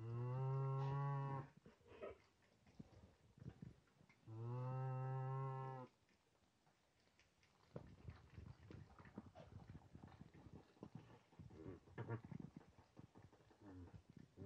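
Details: Nutria on a farm, a young experienced male just placed with eleven grown females and their mothers, guarding the food; two long, low, droning moans of about one and a half seconds each, followed by quieter shuffling and background noise.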